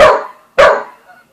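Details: Two sharp, loud barks about half a second apart from Buzz, an Aussie and Corgi mixed-breed dog, reacting to Bread Bandit the cat at home.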